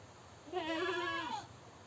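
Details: A single drawn-out goat bleat lasting about a second, steady and nasal with a slight quaver, falling off at the end over a faint background hum.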